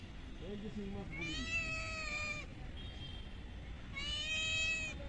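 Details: Stray kittens fed small raw fish caught from a pond meow twice, each a drawn-out, slightly falling cry about a second long, separated by a pause; faint low murmuring sounds near the start.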